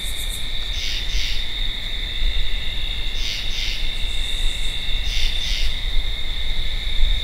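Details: Repeated two-part croaks from a tree frog, three pairs spaced about two seconds apart, set against an unbroken high-pitched insect whine.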